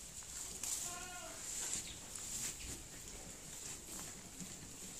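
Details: In October, a pedigree dairy goat relaxing indoors in its shed lets out one short, quavering bleat, backed by a constant high-pitched hiss and faint shed noise.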